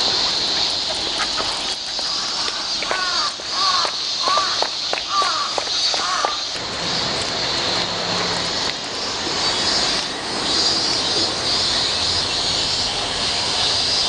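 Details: A steady high cicada drone runs throughout this walk recording, while a crow caws repeatedly for the first six seconds, after which the insect shrilling carries on alone.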